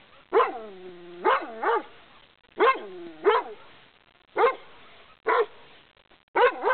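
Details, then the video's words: Furious dog behind a fence barking at someone walking along a path: loud, harmonic barks, often in pairs, some with a drawn-out howling tail, spaced about a second or two apart. "PERRO FURIOSO (ANGRY DOG)"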